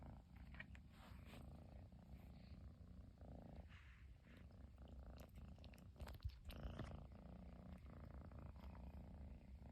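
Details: Young Persian cat in Japan, a chinchilla kitten, purring without pause once its owner at last returned home; continuous deep rumble with gentle inhale-exhale swells and a few brief handling noises.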